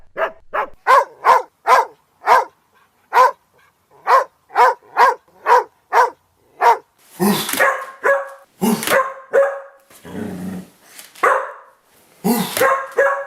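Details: Barking by a domestic dog from a set of ten breeds: a fast string of short, clipped barks, then louder, harsher, broader barks spaced about a second apart, with a brief low noise burst among them.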